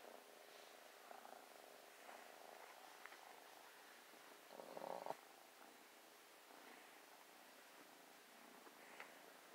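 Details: A playful, loving new kitten snuggling and purring: a soft, steady, low rumbling purr running throughout, with a brief louder rustle about halfway through.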